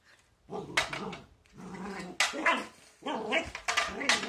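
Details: Border Collie growling and snarling as it fights a broom, low rumbling growls breaking into sharp barks in three bursts, with scraping between.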